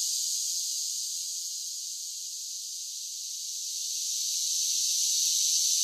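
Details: Cicadas singing on a summer day, their shrill high drone dipping softer through the middle and swelling loud again toward the end, with no other voices or noises.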